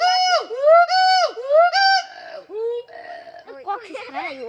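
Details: Gibbon calling at Sepahijala zoo: loud, rich, arched whooping notes repeated roughly every half second, then breaking into quicker wavering, rising and falling hoots toward the end.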